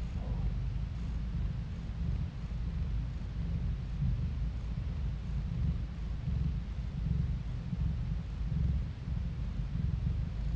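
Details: Domestic cat purring, recorded on a phone: a continuous low rumbling throb pulsing steadily across the whole stretch, with faint hiss above.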